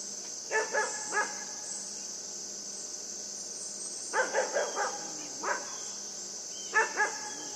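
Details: Yufie the puppy barks while playing with a buck: short, high yips in clusters of two to four, spaced by pauses of a few seconds, against a steady shrill insect drone.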